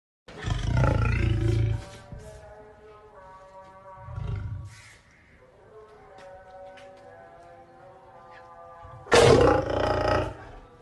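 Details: Lion (Panthera leo), roar.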